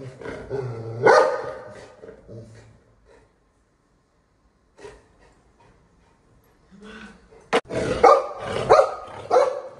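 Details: Pet golden retriever at home barking as it goes for the mother in the family: harsh broadband barks near the start and a tight cluster of loud barks toward the end, with people talking between them.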